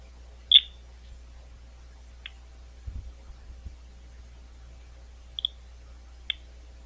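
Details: Bats at Gwynne Conservation Area outside London, Ohio: four brief sharp chirps, each sweeping quickly downward, spaced irregularly across seven seconds over a quiet background, with a few soft low thumps in the middle.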